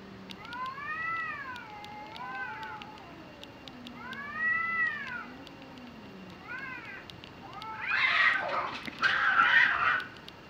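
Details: Cats fighting in Japan: drawn-out arching yowls that rise and fall, traded back and forth, followed near the end by a harsh, noisy hissing scream.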